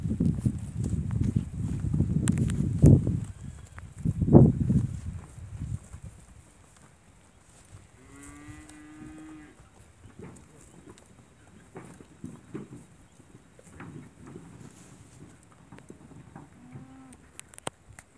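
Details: Hereford bulls at a breeding-stock auction on Saturday 30 September 2017 at a Flores farming society; deep, rough lowing swells loudly twice in the first five seconds, followed by quieter stirring and a short higher tonal call near eight seconds.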